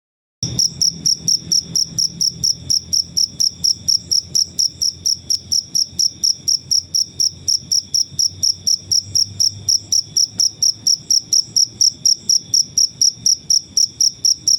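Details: Natural cricket sound, used as a training sound for songbirds: a high, shrill chirp repeated steadily about four times a second for the whole recording, with a faint low hum underneath during the first ten seconds.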